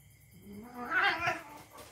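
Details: Domestic cat play-fighting with a young dog: a brief harsh, strained wail swelling and fading within two seconds, with rough noisy texture.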